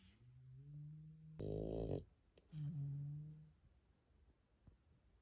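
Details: Sleeping dog resting after a walk gives low, humming snores, broken by a sudden loud snorting burst, then another steady droning snore before quiet breathing.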